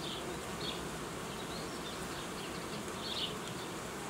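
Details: Apiary honey bees during work to create young colonies with new queens, giving an even, continuous drone of buzzing, broken by a few brief high chirps near the start and end.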